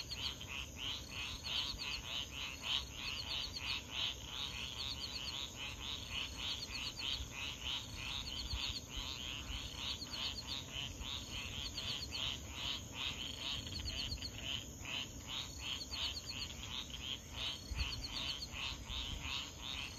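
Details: Frogs calling at 3:00 AM near swamps at Foulpointe on Madagascar's east coast, about 500 m from the ocean: dense, rapid chorus of short repeated clicks and chirps, with steady high insect trilling and a constant low surf roar.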